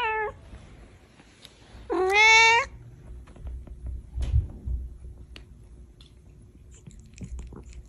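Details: Domestic cat giving two meows indoors: a clipped opening mew, then after a pause a louder, drawn-out harmonic meow that holds steady before fading, followed by quiet room sounds and faint low rumbles.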